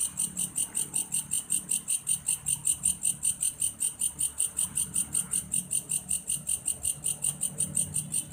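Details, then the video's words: Belalang kayu grasshopper, its sound compared to a cricket's: a sharp, high rasping pulse repeating steadily about two to three times a second, with a soft low rumble coming and going underneath. "suara alam "belalang kayu""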